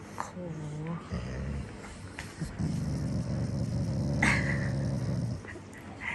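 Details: Pet Shiba Inu, affectionate and not angry, rumbling at its lookalike double. Brief whines come first, then a sustained deep, throaty growl lasts about four seconds. A woman's voice sounds nearby.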